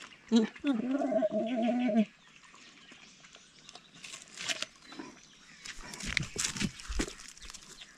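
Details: Andean bears squabbling over food: one sustained, wavering, tonal squeal lasts nearly two seconds near the start, then fainter scuffling, soft grunts and brief noisy bursts follow.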